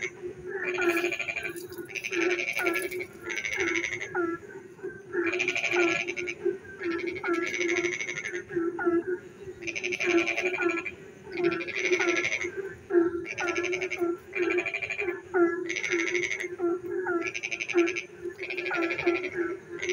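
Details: Frogs singing on a rainy night: rasping, rattling pulsed bursts come in a steady rhythm roughly every one to one and a half seconds, layered over an unbroken low chorus of distant callers and brief whining notes.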